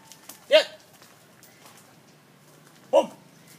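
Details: Phu Quoc Ridgeback dog during a trick of playing dead when shown a gun; two short, sharp single barks about two and a half seconds apart, with a man's quiet commands in Vietnamese nearby.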